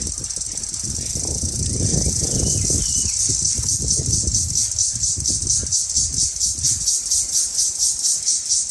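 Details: A cicada in a village forest at midday gives a continuous, piercing, high-pitched drone that pulses rapidly, much like machinery humming. People talk over the opening seconds.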